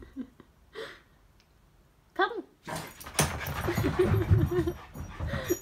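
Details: A male Staffordshire Bull Terrier puppy with the zoomies, tiring after a long run around, gives short whines and yelps, then rough, growly vocalising amid scuffling noise.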